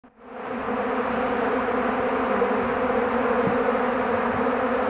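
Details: Many bees swarming in a shed, drawn to melting beeswax with some honey left; a dense, steady buzzing hum holds throughout after a quick fade-in.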